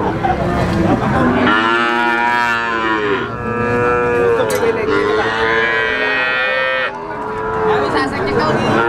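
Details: Three-month-old Simmental, Limousin and Pegon calves offered for sale in Indonesia, mooing loudly and continuously in long harmonic calls that bend in pitch, several overlapping voices, with a brief drop near three seconds and seven seconds.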